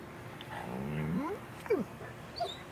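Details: A female Great Pyrenees, happy to see her owner and jumping onto a trampoline, gives a wavering whine that rises and bends, then short sliding yelps.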